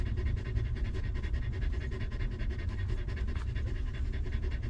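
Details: Stray dog mother protecting her newborn puppies, living rough. Rapid, breathy panting repeats in a tight, regular rhythm throughout, over a loud continuous low hum.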